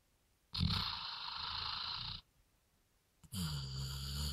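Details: Dog from a sawmill that has drunk three beers, producing a breathy, hissing groan. After a pause comes a second, more voiced moan with a low rising-and-falling tone.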